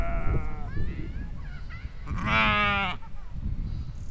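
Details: Grazing sheep and lambs in a spring field, 2020: a few soft wavering bleats early on, then one loud, full, trembling baa near the middle, against constant low wind noise.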